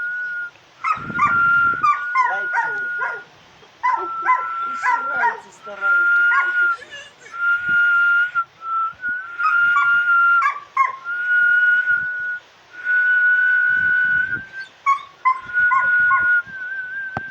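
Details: Dog singing to whistling: a person whistles long level notes repeatedly while the dog answers with wavering howls and yips, the two taking turns and overlapping across the recording.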